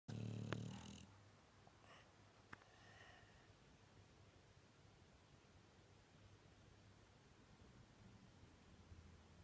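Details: A Staffordshire Bull Terrier snores while dreaming, with a low rumbling breath, loudest at first, then fading to a soft drone.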